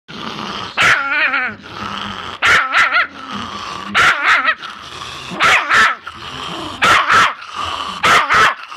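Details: Chihuahua growling with a wavering, quivering snarl, broken about every second by sharp high barks; growls and barks alternate throughout.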